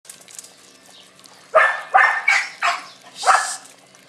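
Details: Six-week-old Australian Cattle Dog puppies from an A-litter: after a quiet second and a half, five sharp, high yapping barks follow in quick succession, each bright and ringing, the last a little longer and falling.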